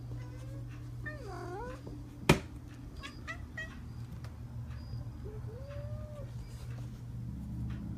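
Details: Talkative female tuxedo cat indoors, vocalizing toward the camera; one wavering, drawn-out meow, a sharp click, then a short rising-falling meow over a steady low hum.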